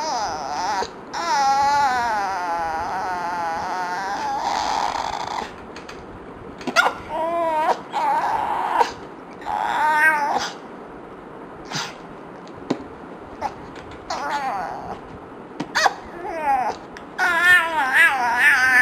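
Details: Yumi, a dog reacting with frustration to fart sounds, starts with a long wavering whine-howl, then breaks into shorter moaning bursts and choppy yips. Faint speech-like sounds appear in between.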